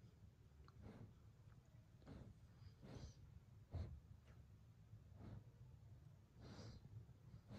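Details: German Shepherd named Evo settling down to sleep indoors, giving soft snorting breaths at roughly one-second intervals, each a brief broadband puff over a low rumbling background.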